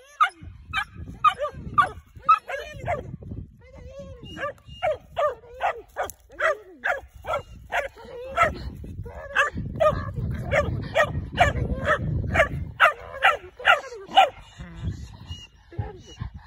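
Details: Dog being trained to hunt tegu lizards, barking in a fast run of sharp, repeated barks about twice a second, with short pauses and some whining, over low rumbling background noise and a man's voice urging it on.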